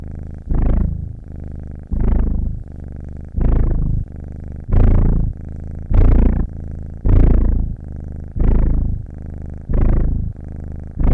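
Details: Purring house cat, breathing clearly heard: deep continuous vibration pulsing in loud waves about every 1.2 seconds, softer hum on the alternate breath, nothing else in the background.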